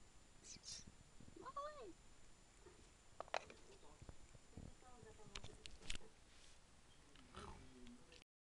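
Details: Domestic cat Tigroo at mealtime by its food bowl, excitedly voicing its enthusiasm: one clear arching meow that rises then falls, followed by shorter chirping calls, with a woman talking in French and kitchen clatter throughout.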